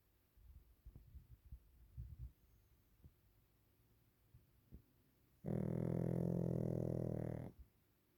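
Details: A napping Pekingese dog gives one long, even, droning snore of about two seconds. It follows several seconds of soft, irregular breathing puffs in a quiet room.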